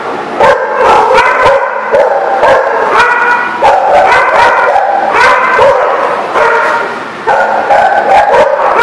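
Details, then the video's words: Barking dogs recorded 23 November 2018 at The Barking Lot: a steady, loud stream of sharp yips and harmonic barks, several per second, overlapping with drawn-out whining tones. "The Barking Lot"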